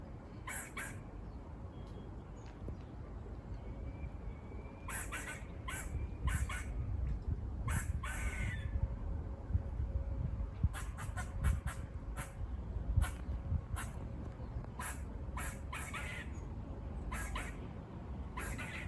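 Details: Wild squirrels near a farm, seen on a walk, give buzzy barking calls: sharp broadband bursts in uneven clusters through the clip, some in quick pairs and triplets, over a steady low wind rumble.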